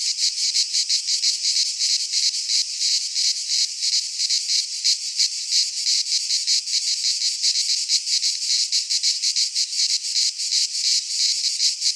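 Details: Midsummer chorus of cicadas in a pine forest in Greece: steady, loud, rasping drone made of rapid pulses, about three a second, unbroken throughout and free of other noises.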